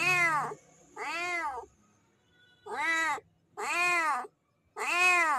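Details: Mating call of a male domestic cat directed at a female in heat, loud whining meows in a run of five, each about half a second long, with short silent gaps between them.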